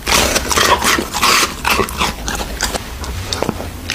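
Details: An American Bully dog eating raw meat, with wet chewing, smacking and crunching sounds repeated rapidly and unevenly.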